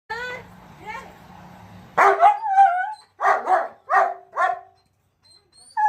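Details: German Shepherd dog barking: after a soft whining lead-in, a burst of loud, rough barks comes in quick pairs, about six barks over three seconds, then silence.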